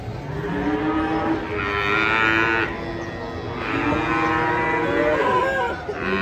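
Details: Cattle coming off a truck, described as agitated and scaring onlookers: long harmonic moos rise and swell around one and a half and four seconds, with crowd murmur and engine noise underneath.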